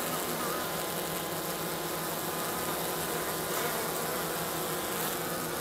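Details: A colony of MN hygienic honey bees near St. Paul, March 16th at 50 degrees, dragging dead bees out and dropping them on the ground before the hive. A constant, full buzzing hum, steady in loudness, fills the whole stretch.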